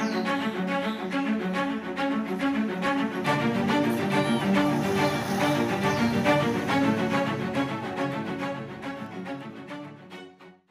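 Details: Bowed string music with cello and violin plays throughout and fades out at the end, with no animal voices.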